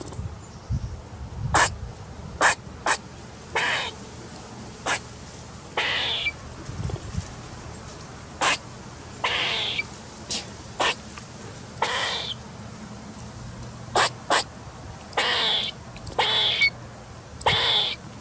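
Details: Squirrel feeding, recorded 10/10/2019, giving short, sharp, broadband squeaks in irregular bursts, some in quick pairs and others drawn out, spread across about eighteen seconds over a low steady background hum.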